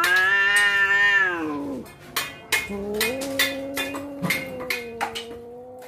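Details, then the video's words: Domestic cats on the verge of a fight, a loud drawn-out yowl with rich harmonics sliding downward over nearly two seconds, then a lower sustained wavering growl-like moan, interrupted by sharp clicks and knocks. "Detik detik kucing mau berantem suara full"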